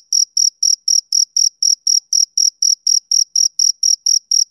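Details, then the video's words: Male cricket chirping on a summer evening: a steady run of short, high, ringing pulses about four per second, evenly spaced and unchanging, with nothing else audible behind them. "Cricket Chirping Sound Effect"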